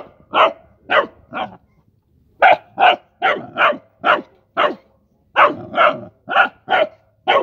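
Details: Young Rottweiler at play with mice barks in quick bursts: three shrill yaps, a brief pause, then a longer string of rapid, bright barks, some doubled close together.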